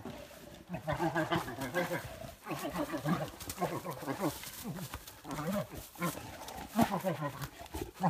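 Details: Wild American black bears, a pair fighting in Canada, May 2017, met during a bow hunt: loud, pulsing moans and snarling roars rising and falling in quick repeated waves, broken by short pauses and thumping scuffle sounds.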